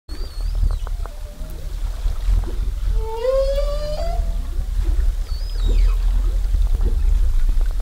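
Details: A humpback whale off Zamami, Japan, recorded during 2018 whale watching, sings a long, rising moan with rich overtones over a deep rumble of sea noise.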